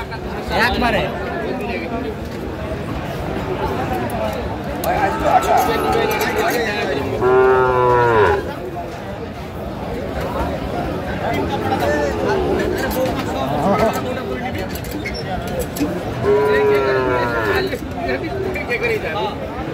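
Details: Sahiwal breed bull calves for sale at a market, 15 February 2025, bound for Jatrabari, Dhaka: two clear drawn-out moos about nine seconds apart over steady crowd noise and haggling speech.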